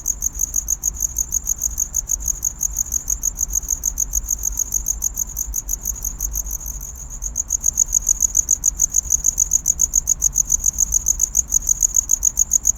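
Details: Courtship chirping of a cricket wooing a mate, a sharp, high, metallic pulse train repeating rapidly and evenly, briefly softer midway and then louder again, with only a quiet low hum behind it.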